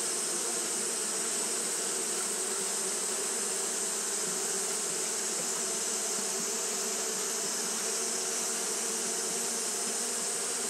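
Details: Steady droning of Japanese honey bees fanning through a hot day, a rich, even buzz layered in low harmonics, continuous from start to end, with a bright high hiss running over it.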